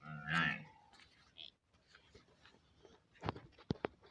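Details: Water buffalo calf giving one short, harmonic bleating call in the first half second, followed by quiet background with a few sharp clicks and knocks.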